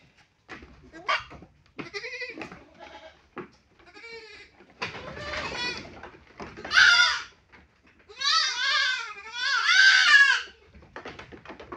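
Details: Castrated goat crying in a run of wavering, shaky bleats, starting faint and broken, then growing louder and more tremulous, with two long quavering cries near the end; faint handling noises between calls.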